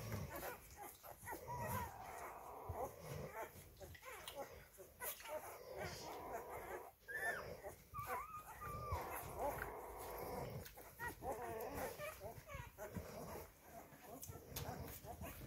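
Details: Five-day-old Rhodesian Ridgeback puppies make soft, squeaky whimpers and short whining peeps, rising and falling, scattered through the recording, with a person speaking quietly and rustling in the background.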